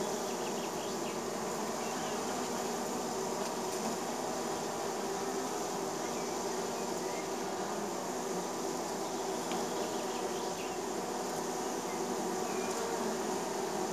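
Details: Honey bees buzzing around a neighbour's hive in spring, landing at the entrance: a dense, steady, droning hum of many bees with layered tones, unbroken throughout, with faint higher whirs of individual bees passing close.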